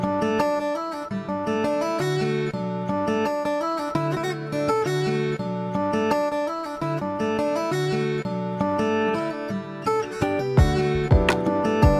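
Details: Strummed acoustic guitar plays a continuous chord pattern throughout, with no animal sounds audible.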